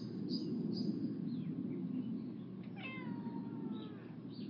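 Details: Cat in a garden setting, linked to a stray cat rescue, giving one drawn-out meow that slides slowly downward over about a second, with scattered bird chirps and a steady low background rumble.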